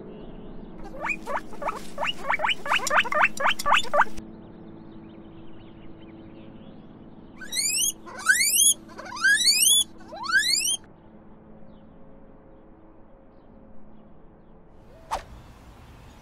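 A guinea pig gives quick runs of rising squeaks, then louder, longer upswept whistling squeals.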